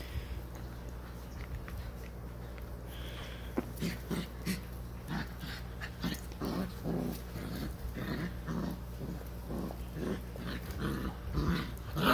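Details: Six-week-old (day 42) Vizsla puppies on a person's lap in the morning make soft, low grunts and whimpers in irregular bursts, with a person speaking nearby.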